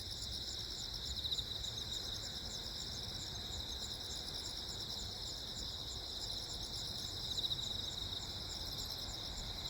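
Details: Calm, continuous chirping of crickets amid a lightning storm on Jeju Island, Korea, 15 August 2024: layered high trills pulse evenly throughout, accompanied by a constant low-pitched background rumble.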